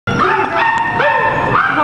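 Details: A young Rottweiler–Australian Shepherd mix at an adoption shelter gives a high, tonal whine, close and loud, with rising and falling pitch.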